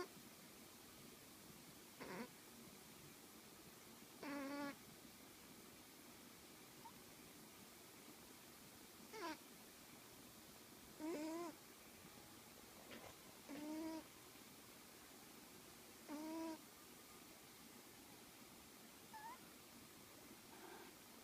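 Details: Snoring cat named Sherlock, giving short squeaky whistling breaths with bright overtones, about one every two and a half seconds over a steady low hiss.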